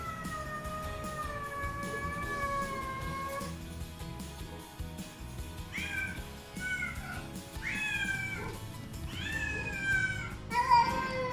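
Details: Three rescued feral cats, a black mother and her two grown kittens, give a run of drawn-out, rising and falling meows each morning, greeting their foster carer only when they expect wet food.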